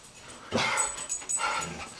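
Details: Guard dog barking after spotting a raccoon indoors: two short, harsh, noisy barks in quick succession within about two seconds.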